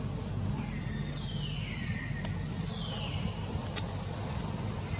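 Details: New baby long-tailed macaque named Jinx, whose mother Jade has run dry of milk, gives short hungry cries: three drawn-out whistly notes falling in pitch, set against a heavy, continuous low rumble.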